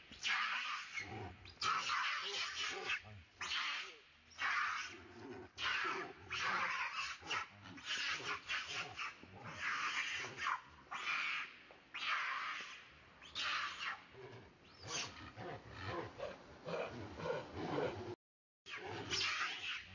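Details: Monkey being chased by another monkey and calling for help: loud, harsh, broadband screams in repeated bursts of about half a second to a second, nearly continuous over the stretch, with lower rough sounds between them.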